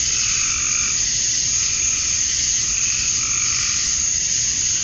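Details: Cicadas at dusk on a Georgia summer night, males chirping for females: a constant high hissing drone, with softer throbbing pulses of a second caller swelling roughly every second underneath.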